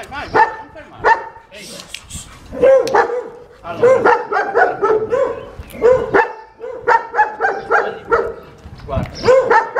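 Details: German Shepherd described as unmanageable, barking through its second training lesson: bursts of quick, repeated high-pitched barks and yelps in clusters of three to five, broken by brief pauses.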